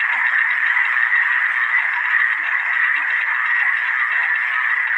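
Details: Many frogs calling at once form a continuous, even mass of fast grating croaks in the middle range, the rhythm blurring into one sustained buzz, nothing else clearly audible.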